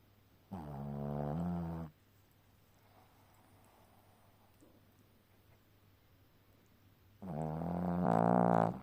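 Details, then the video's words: Pet dog named Ponka asleep, snoring loudly like a man: two long, deep, droning harmonic snores about a second and a half each, separated by a quiet pause of several seconds with faint room noise. "Пёс Понька храпит как МУЖИК."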